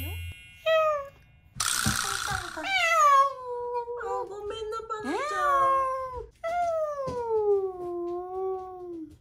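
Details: Rescued stray cat that escaped and was found gone in the morning, giving long drawn-out meows that slide downward, several in a row, with a burst of noise and background music.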